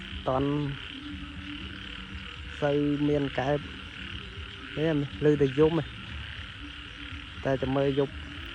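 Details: Frogs calling in a rice field at dusk after heavy rain: four clusters of harsh, nasal, throbbing croaks a couple of seconds apart, over a steady high insect drone.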